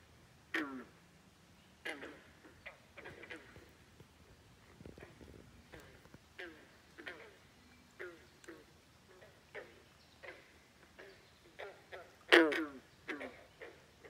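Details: A chorus of frogs at Great Falls National Park, McLean, Virginia, croaking without pause. Brief downward-sliding croaks come irregularly from several animals, some near and loud, others faint, with one sharp loud call near the end.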